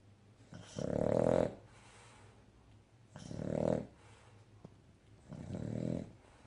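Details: Sleeping, contented male Cavalier King Charles Spaniel gives three rough, throaty snores, each under a second long, at intervals of about two and a half seconds, with soft breathing between them.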